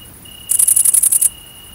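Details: Great green bush-cricket (Tettigonia viridissima) around mating, countryside of central France, 22 August 2016: a faint steady high hiss swells into a loud burst of about ten rapid, very high buzzy pulses lasting under a second, with a thin steady tone.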